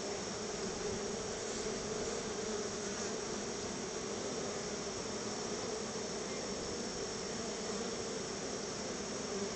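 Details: Many honey bees buzz around their hive while being fed store-bought honey as a thank-you treat. A dense, steady hum with a low droning tone runs without a break, layered over broad hiss.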